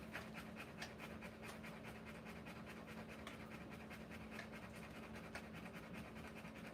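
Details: Rottweiler mother panting while giving birth to puppies: rapid, steady breathy bursts repeating several times a second, evenly spaced and continuous throughout, with a faint low hum underneath.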